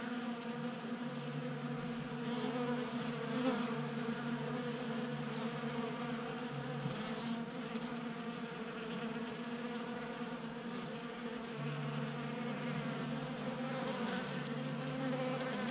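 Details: In January in Colorado, honey bees kept active by 60-degree heat gather at a 3D printed bee feeder on a workbench. A long, constant buzzing drone of many wings, with even low tones and overtones and a gentle rise and fall in loudness.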